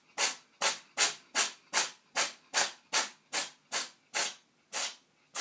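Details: Kitty Dot, a female pet cat with a sneezing problem, sneezing in a bathtub during a run of 51 sneezes; about thirteen sharp, breathy, hissing bursts follow one another roughly every 0.4 seconds in a steady rhythm.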